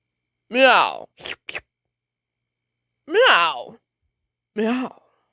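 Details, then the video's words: Domestic cat yawning: three drawn-out, vocal yawn-cries, each sliding downward in pitch with rich harmonics, spaced about two seconds apart, with a few brief soft clicks after the first and otherwise quiet surroundings. "Lazy cats kittens yawning"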